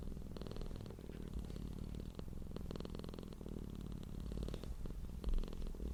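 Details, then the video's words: Soft, steady low humming of a purring cat, a continuous rumble with faint, gently pulsing upper tones. "CAT PURRING SOUND deep humming sound of a purring cat"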